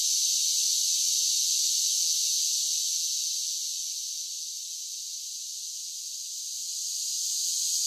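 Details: Summer cicada song as a continuous high buzzing drone that swells, softens noticeably in the middle, then rises back to full strength toward the end.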